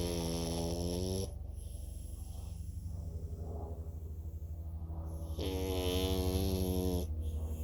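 A French Bulldog snores in heavy, low rattling breaths, each full of fast vibrating pulses. The rumbling comes in long drawn cycles, easing between the inhalations.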